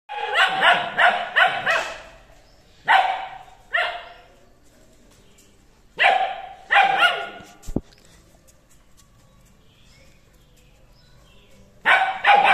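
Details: Two-month-old long-coated German Shepherd puppy giving bursts of rapid, high yappy barks, several in quick succession, then spaced pairs with quiet gaps and a final bark at the end.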